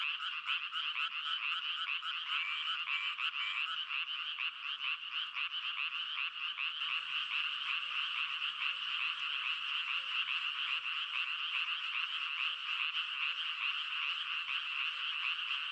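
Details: Massed frog croaks form a continuous buzzing, rattling chorus; rapid pulses stand out early, then after several seconds a softer, lower note repeats regularly beneath the dense calling.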